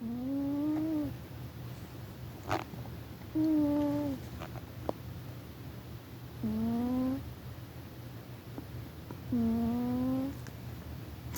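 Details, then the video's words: Sleeping house cat snoring loudly indoors: nasal, humming tones under a second long, each gently rising or falling, repeated about every three seconds, with a faint click or two between breaths. "Cat Snoring"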